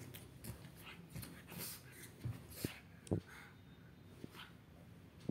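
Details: Black pet pug whimpering: soft, short whines and snuffly breaths come in scattered bursts over five seconds, with a few sharper clicks near the end.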